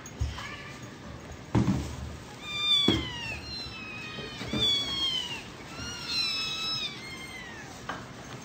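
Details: Little kittens meowing: repeated thin, high-pitched meows, each sliding downward, coming every second or so, with a few soft thumps and handling noises between them.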